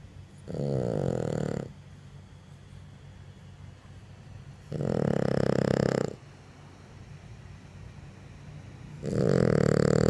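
A French Bulldog snores in loud, rasping bursts, each lasting over a second and returning every few seconds.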